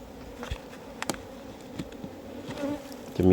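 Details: Honey bees in a box hive, wild bees lured into the box, buzzing while a keeper checks the hive for honey: a steady low hum with faint harmonics, scattered knocks and clicks, ending in a loud handling thud.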